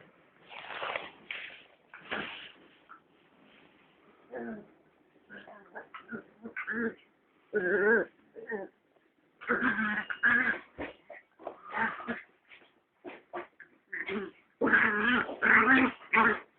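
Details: Two puppies play fighting indoors: a rapid, irregular stream of high yelps, squeals and whiny bursts, some drawn out and nasal, others short and sharp, growing busier and louder toward the end.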